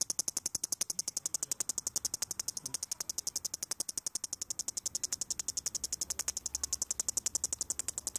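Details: Headless cicada found on the ground, still chirping with no head before stopping for good: rapid, regular buzzy pulses, about 220 per minute, high-pitched and dry, steady throughout.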